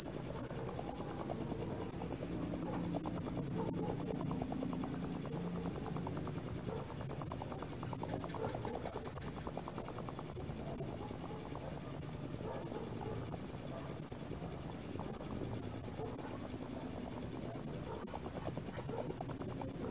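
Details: A concert of male crickets, the usual dusk-to-dawn sound: loud, rapid, high-pitched chirping that pulses steadily and never stops for twenty seconds, over quiet faint low background sounds.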